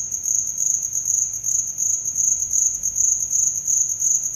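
A cricket keeps up a thin, high-pitched chirping made of rapid pulses run together into an almost unbroken trill. The pulsing stays even and steady throughout, with no other clear sounds behind it.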